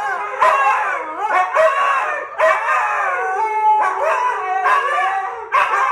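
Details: Young dog Kodi learning to howl alongside Kiana: overlapping wavering howls punctuated by loud barks roughly once a second, the session turning into a barking competition between the two dogs.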